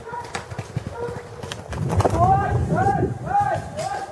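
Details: Bloodhounds on a New Year's hunt, 2 January 2012, give deep, drawn-out bays, several voices overlapping, with horse hooves clattering underneath.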